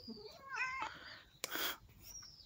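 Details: Cat meowing while being played with: a short, bright meow that rises and then falls, followed by a sharp, loud burst of rustling or scuffling and a faint high tone near the end.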